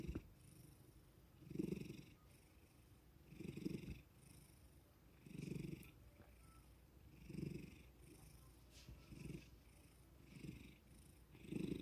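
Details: Pet cat purring indoors after being suddenly woken with petting and attention; low rumbling purr swelling in bursts about every two seconds with each breath, airy hiss overhead, a faint click in between.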